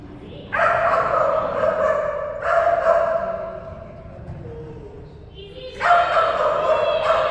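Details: During agility, an energetic Kerry Blue Terrier lets out long, harmonic, howl-like barks in three loud bursts. A softer, lower whine fills the pause before the last outburst.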